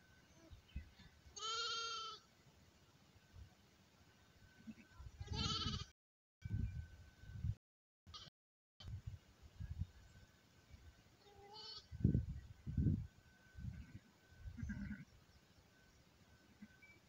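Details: Newborn lamb at an elephant park in Mae Chai, Phayao, Thailand: harmonic bleats near 1.5 and 5.5 seconds, then fainter ones, over low rumbling background noise with brief dropouts.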